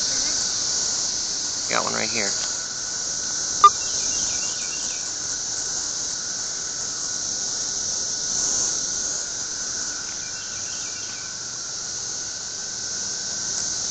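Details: High steady buzzing of cicadas in the trees, softer here, runs through the whole recording while a child's voice breaks in briefly near the start and a sharp click sounds; faint bird chirps appear.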